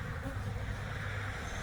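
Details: Honey bee swarm being installed in a hive: a dense, steady droning hum with a low buzzing tone and a broad hiss running evenly throughout.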